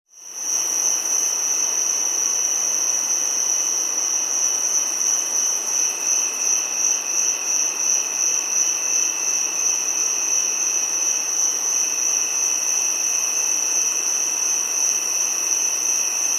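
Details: Giant cicada calling in an unbroken, steady high-pitched whine that starts abruptly and holds a pure tonal line with a fainter lower tone beneath, over a constant hiss, with no pauses or other animals.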